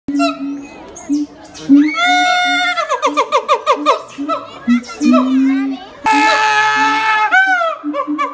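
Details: A male siamang at Higashiyama Zoo, courting, sings loud, rising hoots that speed into rapid repeated barks, then a long piercing scream.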